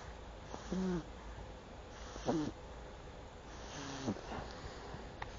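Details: Buba, a pet pug, snoring indoors: three wheezy, whistling snores with a faint tonal hum, about one and a half seconds apart, over a steady low background hiss.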